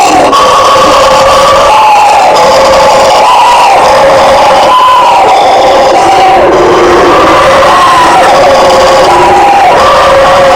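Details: Howler monkeys (bugio) roaring in a dense, continuous chorus: deep, rough, wavering tones rising and falling in overlapping bands, with no pauses and a steady wall of sound throughout.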